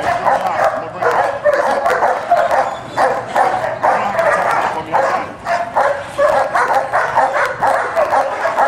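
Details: Scarface, a German Shepherd from Alpine K9 undergoing protection dog evaluation, barks in loud clustered bursts separated by short gaps, the harsh barks sometimes running together.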